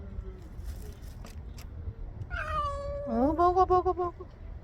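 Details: Stray cat meowing while eating food put out for it; a long drawn meow falling then level, followed by a rising meow breaking into several quick pulsed meows, with faint human voices in the background.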